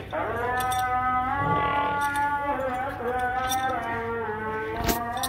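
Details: Brown-blue Ravi buffalo lowing: long, drawn-out, throaty moos with rich harmonics that rise slightly and sustain across the whole stretch, with a brief sharp click near the end.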